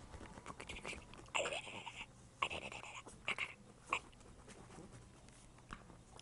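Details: Gucci, a pet dog, digging away indoors: rough scratching bursts, each lasting under a second, come in an uneven series with short pauses, over quiet room background.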